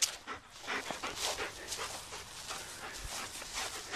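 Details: Black German Shepherd dog named Sam, panting while winding down on a walk after play and obedience work: fast, breathy, broadband huffs pulsing steadily through the whole stretch, with no talk and light outdoor rustle behind.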